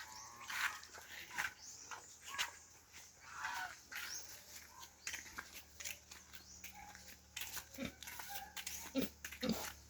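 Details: Native pig feeding on madre de agua plants: irregular crunching and snuffling bursts with short grunt-like notes, a few sharper squeaky sounds near the end, over a steady low background hum.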